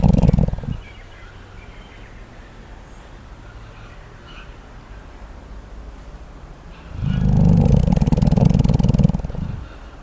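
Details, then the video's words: A koala snoring as it sleeps. A brief rough pulse opens the recording, a low steady hum follows, then a loud, deep, vibrating snort-like rumble of about two seconds before it drops back to quiet. "Koala Durmiendo 🐨💤 ¡Roncando Como Nunca!"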